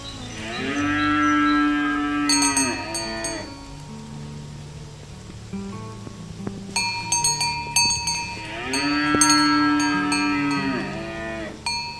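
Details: Cows herded in the morning toward the farm pen and field: two long, steady moos about eight seconds apart, with bells clanking between them.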